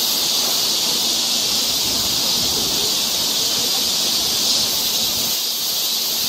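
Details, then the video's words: Cicadas singing on a forest trail in Seoul, Korea, in summer: a dense, continuous high buzzing hiss that holds steady throughout with no pauses, with no other clear sounds beneath it. "cicada sound"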